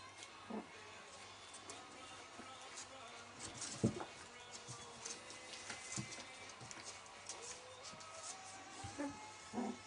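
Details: Welsh Springer Spaniel puppies, 19 days old, giving thin, drawn-out whines that slide upward, plus a few short squeaks scattered through, over a steady low hum and light clicks and rustles.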